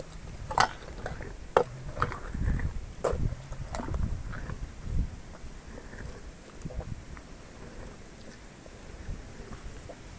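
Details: Sugarcane being eaten by Meri the elephant, recorded close for ASMR. Sharp isolated cracks of breaking cane come roughly once a second early on, with soft low munching between them, fading to quieter chewing and faint background hiss.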